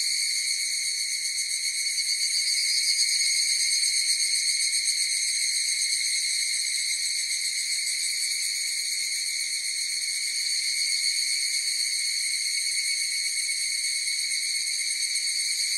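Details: Higurashi cicadas singing in chorus: a continuous high, ringing drone with stacked bright tones and a faint rapid pulsing, steady in loudness throughout, with no other animals or voices.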